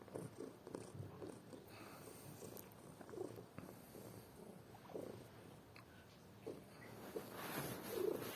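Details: A cat asleep and snoring, a rough, pulsing rumble that swells and fades with each breath, growing louder and breathier toward the end.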